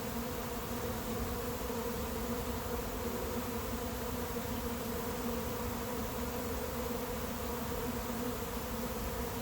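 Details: A late-season honey bee swarm moving into an empty, unprepared hive, of unknown origin, 2021: a dense, steady droning hum with a low, even pitch and no breaks, filling the whole stretch.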